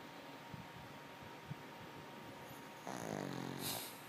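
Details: Pet dog Lulu asleep and snoring, a low buzzing, rattling drone that swells in about a second into one long, vibrating breath after quiet soft breathing and a small knock, with a constant room hum beneath.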